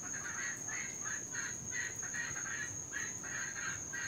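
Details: Cuban tree frogs, an invasive species in Florida, calling through the night, louder when raining; short raspy bursts repeat about three times a second, with a steady high-pitched whine running underneath.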